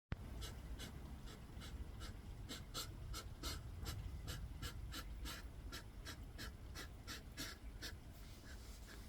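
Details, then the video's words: Hedgehogs fighting for territory in a garden: rapid breathy, broadband snorting puffs repeated about two to three times a second for the whole stretch, over a steady low rumbling background. "Hedgehogs fight for territory in the garden."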